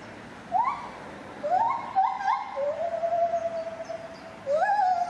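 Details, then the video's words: Male lar gibbon singing in captivity at Safaripark Beekse Bergen on 9 July 2021: a series of rising whooping notes with overtones, short upswept hoots, then a long, steady, level tone, closing with another rising whoop. "Lar Gibbon singing"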